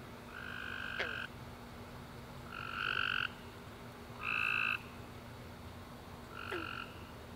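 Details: Night chorus of tree frogs after a warm rainy summer day: four harsh, buzzy chirps spaced one to two seconds apart, some longer and louder, with brief sliding chirps behind and a constant low background hum.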